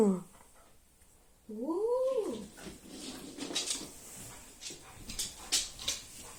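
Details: Siberian Husky indoors howling to rouse its owner: one arching, rising-then-falling howl of about a second, followed by rustling and scattered clicking noises.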